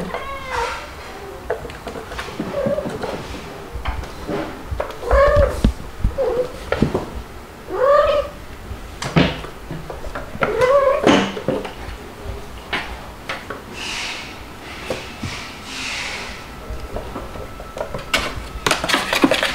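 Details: Playful kittens, white dalmatian-spotted Stuart and black Lunar, with mother cats Mel (calico) and Pepper (black), filmed indoors 3 to 8 July 2022; several short, bending mid-pitched meows spaced a second or two apart amid thumps and clicks of play.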